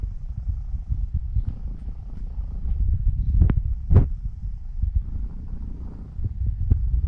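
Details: A seven-year-old female Norwegian Forest Cat called Elf purrs loudly at close range while kneading on her way to sleep. A thick low throbbing rumble runs continuously, broken by two brief clicks near the middle.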